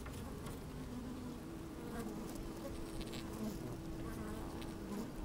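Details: Honey bees moving about inside an open hive on a sunny day, recorded from within: a thick, rich buzzing drone with short wavering higher buzzes rising above the steady hum.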